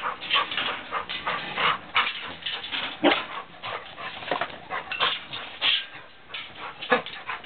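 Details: English Setter puppy making a steady stream of small whines and yelps mixed with frequent clicks and scuffling noises.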